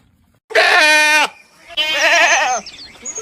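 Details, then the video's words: Goat, recorded while eating grass, giving two drawn-out bleats: a steady, nasal bleat lasting under a second, then a longer bleat with a wavering, quavering tone. "Goat Sound Video Goat Eating Grass"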